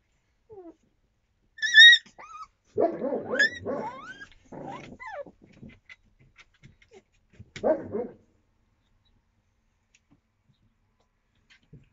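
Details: Twenty-five-day-old Yakutian Laika puppies in April 2023 give a high, thin whine that falls away, followed by rough yapping bursts and short rising squeaks, then a last yap before quiet.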